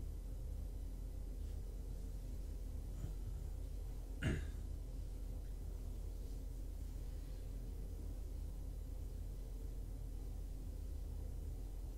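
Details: Near silence with a faint room hum, broken once by a single short click or tap.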